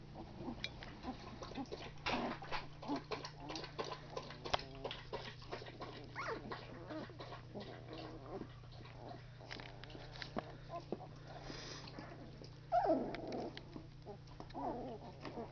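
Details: Labrador Retriever puppies at two weeks old, mostly quiet shuffling and clicks, then one clear rising-and-falling whine near the end, over a constant low hum.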